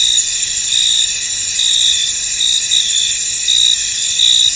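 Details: In a foggy field, a cricket chorus forms a constant high, ringing drone, with louder pulsed trills rising out of it about every second; nothing else stands out.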